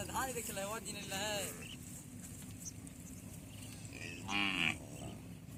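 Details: At a border-village cattle market on a Padma river char between India and Bangladesh, native deshi cattle moo in short harmonic bursts early on and again near the end, amid a noisy crowd of voices.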